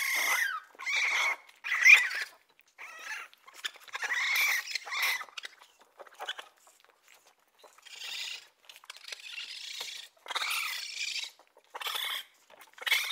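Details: Raccoon giving short squeaky chirps and churring bursts separated by brief silences, opening with a sliding squeal, then irregular clusters of high, rough calls.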